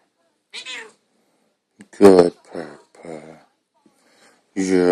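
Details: Lucifur, a female pet cat, attacks her owner indoors after being petted. She gives several drawn-out, harmonic meows with rising and falling pitch. The loudest come mid-clip and at the end, between bursts of a person talking.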